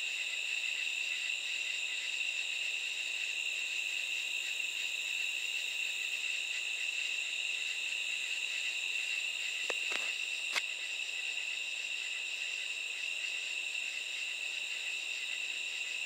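A chorus of katydids makes a steady, high, shimmering buzz at night.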